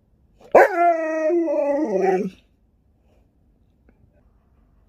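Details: Sherpa, a pet Alaskan Malamute, answers a smart speaker indoors with a loud, harmonic, talking howl lasting nearly two seconds, starting high and sliding downward in steps at the end, followed by quiet.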